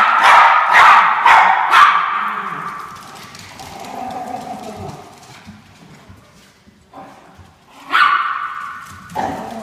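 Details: Norfolk Terriers chasing the orange fox give a burst of high, sharp yapping barks that trail off into quieter sounds, then return with a loud bark near the end.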